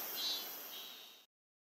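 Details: Robust cicada (Hyalessa maculaticollis) sings a steady, high, shrill buzz that swells briefly, then cuts off, recorded in August 2020 in rural, nature-rich Bungo-ono, Oita Prefecture, Japan.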